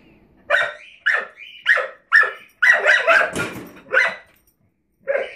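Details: Young dog Rosie barking at a drawer under the kitchen oven, about two barks per second in an irregular series of bright, yelping barks with a brief pause before a final bark.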